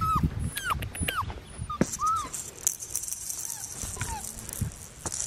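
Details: Five-week-old female Australian Shepherd puppy at Fifteen Acre Farms, Oklahoma, on December 26, 2019: a string of short, high, downward-curving whines repeated roughly every half second, with rustling and clicks around them.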